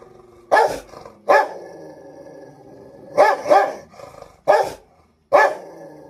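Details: Rottweiler fighting with another pet: six loud, clipped barks, two of them paired closely, set against a continuous grumbling growl throughout.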